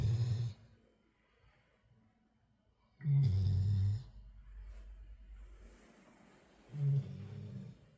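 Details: Tired black Labrador Retriever dozing after energetic play, its deep, gravelly snores coming roughly every three seconds, each one a short, hoarse rumble with breathy rasp, separated by near-silent breathing indoors.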